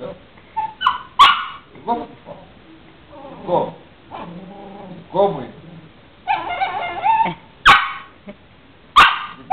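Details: Female puppy talking back to her owner with grumbling, whining yowls and short howl-like bursts. A man speaks Greek in between, playfully scolding her.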